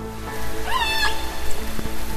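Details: A killer whale (Orcinus orca) gives a brief, rising, squealing call over soft background music.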